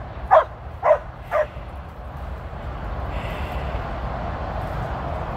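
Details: Female Border Collie named Tir, on her 13th birthday, during her first run with sheep: three sharp barks in quick succession about half a second apart, then a steady low rumble of wind or background noise.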